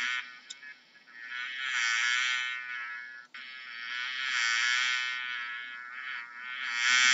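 A bee's steady, droning buzz that swells and fades as it moves closer and away.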